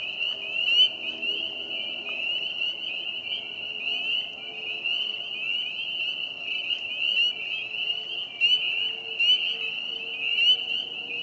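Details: Chorus of many spring peepers singing at Vernal Pond in Hillside Park on April 25, 2020, in spring: dense overlapping high, shrill peeps merging into a steady ringing band, with fainter lower frog notes beneath.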